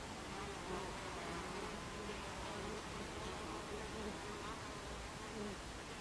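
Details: Buckfast bees at a beehive entrance on 26 July 2013 at 14:30: a dense, steady hum of many wings, with fainter buzzing tones that slide up and down as individual bees fly past, set against a broad hiss.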